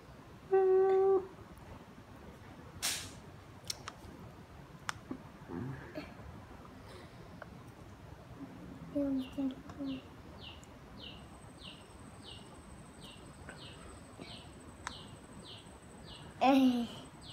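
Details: Pet cat with a loud meow at the start and another near the end; in between are soft knocks and a faint, high, rapidly repeated chirping from a bird.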